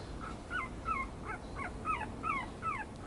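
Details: Yorkipoo puppy giving a quick series of short, high whimpers, each a thin falling or bent whine, about two to three per second for three seconds, over a low constant rumble.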